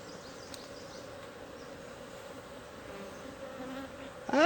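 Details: Wild honey bee swarm being caught by bare hand from a tree hole in the Timang jungle, Manang district, Annapurna region, Nepal; a steady, low droning hum of many bees throughout, with a sudden loud rasping sound at the very end.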